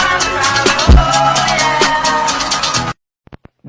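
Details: Loud music with drums and guitar plays for about three seconds, then stops abruptly, leaving near silence with a few short clicks; no animal sound is heard.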